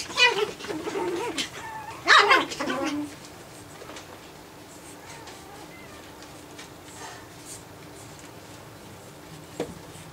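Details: Japanese Chin puppies aged nine weeks, playing together inside; a burst of short yips and whimpers in the first three seconds, then near silence with light scuffling and one faint sound near the end.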